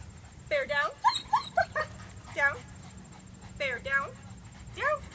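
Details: German Shepherd Dog, reactive to dogs and people, in training in Virginia, giving short harmonic yelps and whining barks in quick bursts while a trainer calls commands close by.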